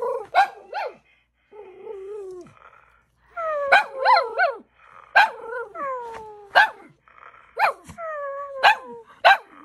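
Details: Pet Shih Tzu Yoshi confronting an electronic toy pet that has taken over his dog stroller indoors: clipped barks alternate with drawn-out, falling whining tones, several in a row with short pauses.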